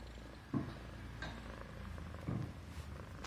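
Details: Persian Himalayan cat purring while being stroked on the neck, feeling safe and comfortable; a steady low rumble with two louder swells about two seconds apart, plus faint rustling and clicks indoors.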